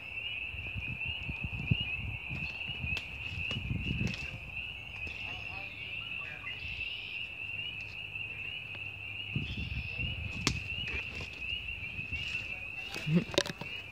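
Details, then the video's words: Frogs calling in the woods in early spring 2017: a steady, continuous high-pitched trilling chorus holds unbroken throughout, over low rumbling and handling noise with occasional clicks. "The sound of frogs"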